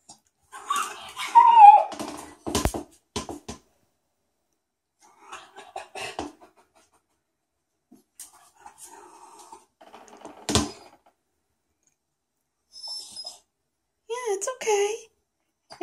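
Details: A Cairn Terrier, upset by his owner's foot bath in the bathroom though none of its massage, bubble or jet functions were running, gives whining, yelping complaints and sharp barks while a human voice soothes him.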